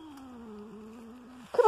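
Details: Domestic cat on a walk in the woods, giving a long, drawn-out meow that slowly falls in pitch across about one and a half seconds, ending in a short burst of louder noise.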